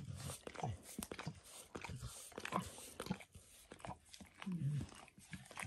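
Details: Dog grooming itself indoors, licking its paws and a person's foot and leg, recorded spontaneously. Soft wet smacking and clicking licks come in irregular quick bursts, and the room is quiet.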